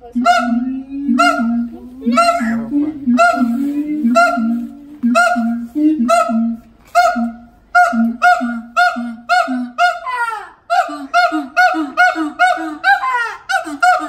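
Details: At the Los Angeles Zoo, a siamang father and mother harmonize in a duet. Loud, regular resonant hoots come roughly one per second, then break into quicker, choppy barking notes that tumble over each other toward the end.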